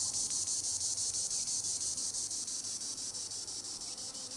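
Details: Tibicen linnei, the green annual cicada, buzzing in treetops: an intense high-pitched whirring throb with fast regular pulses about three per second, unbroken for the whole stretch.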